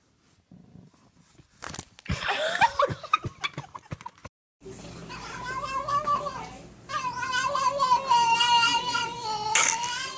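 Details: Cat indoors, from a funny cat compilation: after clattering knocks and a brief human voice, it lets out long drawn-out yowling meows that waver up and down, holding for several seconds, with a short break before another sustained wail.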